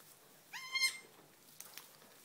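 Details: A newborn Nigerian Dwarf goat kid, less than five minutes old, on a farm, gives one brief, high, quavering bleat that rises at its start and then holds steady. Two faint clicks follow over a quiet background.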